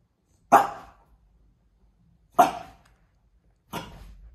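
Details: A French bulldog out on a walk gives three sharp barks, the first two close to two seconds apart and the third following about 1.3 seconds later, each short and bright against a quiet background.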